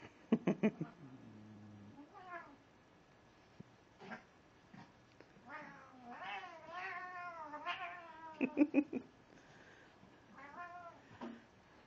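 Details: Tormented-sounding cat yowling indoors, sharp short bursts opening the sequence, then long moaning caterwauls that bend up and down through the middle, more abrupt loud bursts, and a final wavering cry.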